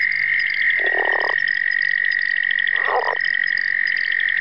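A Southern leopard frog gives two short, rattling, chuckling croaks over a steady high chorus.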